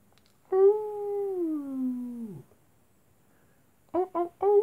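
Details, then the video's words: Nighttime wolves: one drawn-out tonal howl lasting about two seconds, gently falling in pitch before dropping away, followed after a pause by three quick clipped yips in a row. "wolves at night time"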